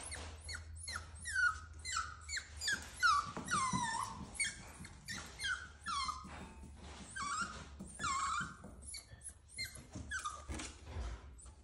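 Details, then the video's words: Cavalier King Charles Spaniel puppy crying indoors, scared to go down the stairs: a long run of high, sliding whimpers, each dropping in pitch, coming in quick succession with short gaps over about twelve seconds. "Crying puppy scared to go down the stairs"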